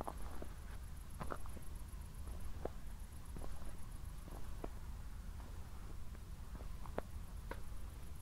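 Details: Crickets at night just after a thunderstorm near Zwettl, Austria, heard on an evening walk: a thin, very high, rapidly pulsed chirping runs steadily, with a short pause near the middle, over low rumble and soft footsteps.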